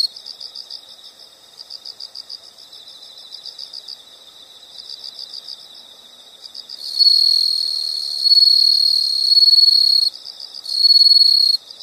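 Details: Insects heard as a soothing nature sound: soft rapid pulsed chirps in short series for about seven seconds, then louder sustained high buzzing trills begin, broken by a brief pause.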